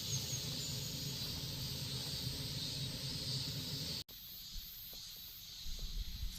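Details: Continuous shrill, hissing drone of Korean cicadas over a heavy low rumble, breaking off abruptly about two-thirds through, after which quieter background noise and a few soft knocks remain.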